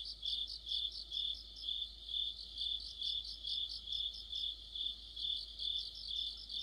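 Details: Crickets and other insects in autumn form a continuous high-pitched trilling chorus, with chirps pulsing roughly two or three times per second and a faint low background hum.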